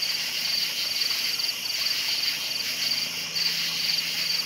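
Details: A nocturnal cricket chorus of bright, quick chirp bursts repeating about twice a second, over a dense high insect hiss and a faint low steady tone.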